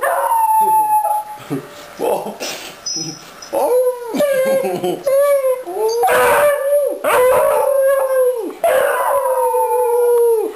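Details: Three house Beagles greet their returning owner with a howling chorus, the person howling along; repeated drawn-out howls that bend upward at the start and hold steady, separated by short yelps and pauses.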